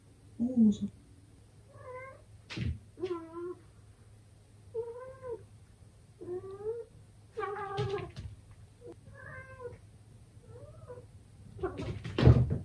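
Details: Young male British Shorthair cat indoors, fighting its own reflection in a full-length mirror: a run of short, bent, wavering meows and caterwauls spaced every second or two, with scattered thumps and scuffling sounds.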